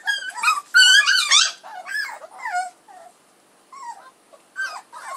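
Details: Puppies of Edhel and Berry whimpering and squealing: several high, wavering harmonic whines that rise and fall, crowded together in the first second and a half, then shorter, fainter yelps separated by brief pauses.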